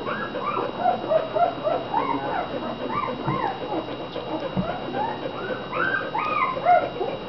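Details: Fifteen American Bulldog puppies from two litters born July 2009, Pearl's and the slightly smaller China's pups about five days younger, eating and sleeping; many overlapping arched squeals and whimpers rise and fall in a rapid, continuous chorus over a steady hum.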